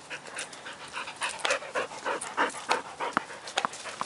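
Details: Dog at play with a ball in Ann Arbor gives fast rhythmic panting, about three breaths a second, each a breathy broadband puff, some with faint tonal squeaky edges.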